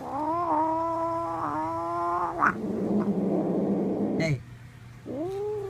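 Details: Domestic male cat making strange noises after being handed bread: two long, even, nasal yowls with a small dip between them, then a harsh, buzzing growl, a sharp break, and another arching yowl.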